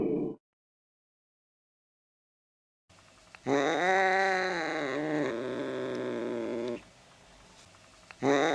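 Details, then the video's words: Cat sounds meant to scare mice away: after a silent gap, one long drawn-out harmonic meow lasting about three seconds, steady then slightly falling, with brief clipped fragments at the start and end. "Tiếng mèo kêu đuổi chuột"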